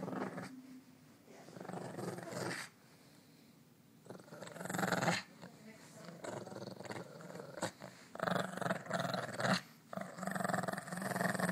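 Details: A pet dog growling while playing in the morning, low rumbling growls in bursts of about one to two seconds separated by short quiet gaps, with some indoor noise between them.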